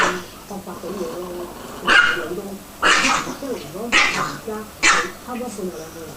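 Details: Pet Chihuahuas Sesame, the black mother, and her pup Cream in one of their frequent fights: four sharp yapping barks roughly one second apart, people talking softly underneath.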